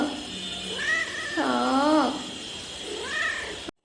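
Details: Pet cat talking back to its owner, who wants to work; a short rising meow, then a louder drawn-out wavering meow, and a final brief meow, over steady background hum with a woman speaking Bengali nearby.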